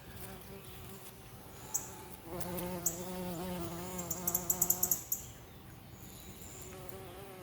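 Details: A bumblebee going from one flower to another among blooming carrots in a vegetable garden gives a low, steady, droning buzz that swells for a few seconds.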